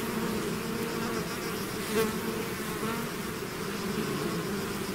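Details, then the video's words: Swarm of bees pouring out of its hive, a dense steady hum with layered low tones, one brief louder pass near the middle; no other sounds. "bees therapy swarm natural buzzing sound"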